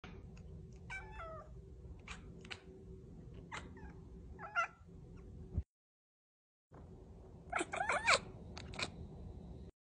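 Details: White Persian cat chatting indoors: a series of short, rising and falling meows with bending tones, several brief calls in the first half, a gap of silence, then a louder cluster of warbling meows near the end.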